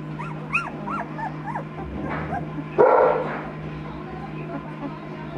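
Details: Two-week-old Noble Asian Bear puppies, a hybrid litter of Tibetan Mastiff, American Akita and Caucasian Ovcharka lines, let out quick repeated rising-and-falling squeaky whines, followed by a loud rustling burst and a low background hum.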